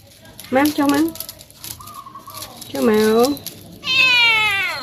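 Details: Domestic cats indoors while being played with, giving three clear meows: two harmonic, slightly bending calls near the start and middle, then a higher, drawn-out wavering meow at the end; a woman's voice is faint in the background.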